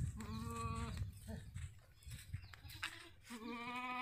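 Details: Sirohi goats on a goat farm in Ajmer, Rajasthan: two drawn-out, nasal bleats held at a steady pitch, one at the start and one at the end, with rustling and thumps in the pause between.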